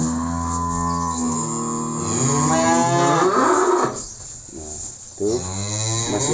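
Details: Cattle being shipped to Magelang, Indonesia, with Simmental and Limousin breeds noted, give drawn-out lowing moos with strong harmonics that rise and fall over several seconds, briefly dropping away near the end.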